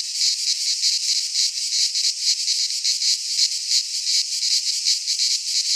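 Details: Cicadas singing in midsummer in a Greek pine forest: a dense, continuous high buzzing chorus with rapid pulsing throbs, steady and loud, with no other sounds.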